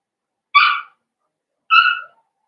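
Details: Blenheim Cavalier King Charles Spaniel puppies from a litter of five, born at New Year's to Paris and Spike in a home puppy pen, give two short, high, harmonic whining yelps about a second apart, with silence between.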